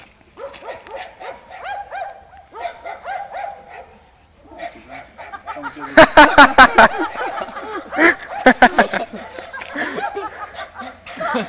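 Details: A Serbian defence dog and a Dogo Argentino bark in a busy run of short rising yips, then sharp loud clattering bursts midway, with human voices mixed in.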